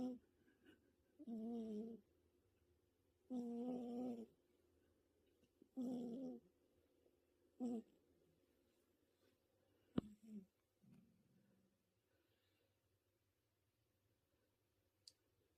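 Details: Cat snoring in a quiet room: four loud, rough, droning snores about two seconds apart, each around half a second to a second long. They then grow softer and shorter and trail into near silence.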